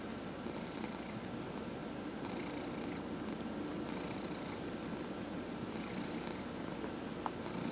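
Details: Domestic cat purring while being massaged indoors, one of four cats including senior rescue cats: a steady low rumbling purr running throughout, with soft rhythmic swells and faint rustling from hands stroking fur.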